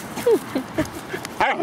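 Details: Two dogs playing in Laguna Beach dog park: Margo, 7 months old, with a 4-month-old Husky puppy. Short, high, whiny yips and barks come in quick bursts over a low background hum of traffic.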